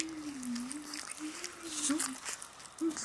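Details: Golden Retriever puppies, 28 days old, on their first day of weaning food of lightly blanched fresh ground beef: a single thin, wavering whine held for about two seconds, rising and dipping, then a short squeak at the end.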